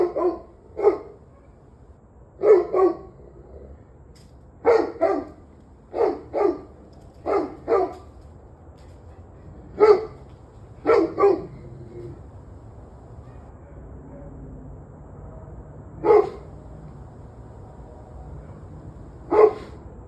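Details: Recorded 21 November 2023 at 7:06 pm, a dog barks in irregular runs, often doubled barks, dense through the first twelve seconds then sparser, over a faint low hum.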